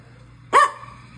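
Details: Standard poodle giving one short, sharp bark with a brief rising tone, clear against a quiet background with a faint low hum.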